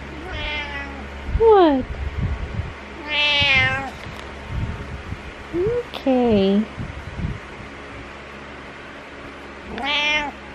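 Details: Morning meows from Butters, a male pet cat who climbs onto a pillow: several long, wavering meows spread across the recording, with shorter falling, voice-like sounds in between and a steady low hum.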